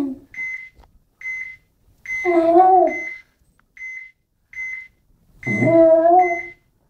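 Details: Pet dog Sammy, indoors, lets out two short wavering howls a few seconds apart. A high electronic beep sounds in a steady series between them.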